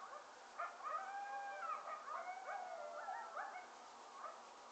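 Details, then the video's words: A two-year-old English springer spaniel howls in long, wavering tones in answer to coyote howls playing from a video. "Hudson Howling At a Video Of Coyotes"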